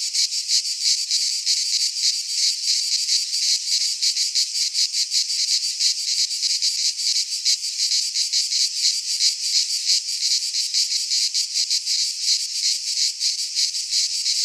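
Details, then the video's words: Cicadas singing in a Greek pine forest in midsummer: a dense, high, buzzing chorus pulsing rapidly and steadily throughout, with no other sounds. "Cicadas singing in midsummer - Nature sounds from the Greek fauna - Sounds of cicadas"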